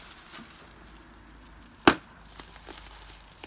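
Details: A single sharp click near the two-second mark stands out against faint, steady indoor room hum, with a few soft taps afterwards.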